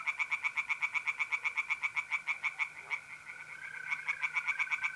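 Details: Tree frogs at a pond on a mid-April night in North-East Italy give a brisk, regular string of hard, rattling croaks, about four or five a second, easing off midway, over the constant buzzing trill of mole crickets.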